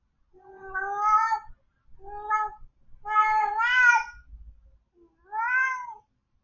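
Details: Domestic cat left alone at home, giving four drawn-out harmonic meows, the third longest and wavering, spaced about a second apart in a quiet indoor room.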